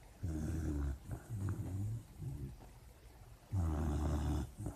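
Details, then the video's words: Puppy dreaming in its sleep, making loud, throaty, growl-like snores with a rough tonal edge, in long rasping stretches broken by short pauses. "Puppy dreams and snoring"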